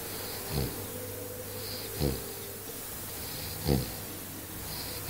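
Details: Mischa, a Bearded Collie, snoring after falling asleep while playing at the end of a long day: soft rasping snores repeated about every one and a half seconds against a steady background hiss.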